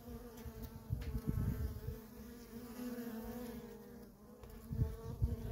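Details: Worker honey bees hum steadily around a feral colony while gusty low rumbles, like wind or handling noise, swell over the buzzing in several bursts.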